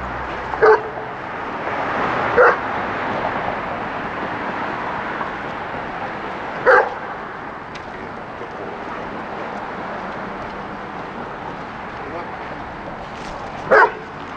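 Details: Rex, a highly aggressive German Shepherd, during a hand off for a six-week board-and-train stay at a dog training facility in Buffalo, NY; four short, sharp barks spaced irregularly over a steady background hiss.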